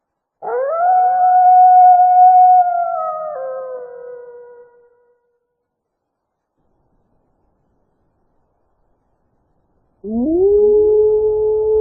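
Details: Wolf giving a long howl that rises quickly, holds a clear steady pitch, then sinks and fades after about four seconds, followed by a long pause and the rising start of another howl.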